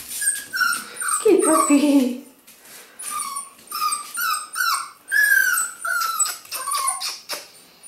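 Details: Six-week-old black female F2 Pomsky pup gives repeated thin, high whining squeals in short bursts, some sliding downward, interspersed with a person's quiet praising voice.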